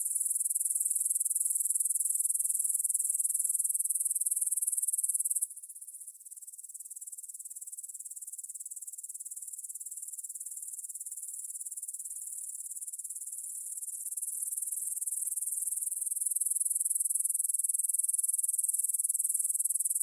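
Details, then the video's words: Meadow grasshoppers stridulating near the Svensky monastery, Bryansk, Russia, 9pm on 6 September 2020, Tascam DR-44WL stereo: loud high hissing chirr that drops abruptly quieter for several seconds, then slowly builds back up. "кузнечики на лугу – Grasshopper Sounds in the Field"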